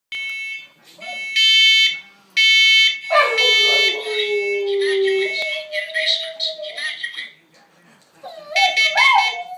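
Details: Boxer pup howling at a siren: loud steady electronic alarm tones at first, then a long sliding howl falling slowly, a second level wail, and a wavering howl at the end as the siren returns.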